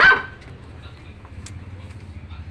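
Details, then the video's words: A dog gives one brief bark right at the start, then only low background hum follows. "Dog bark"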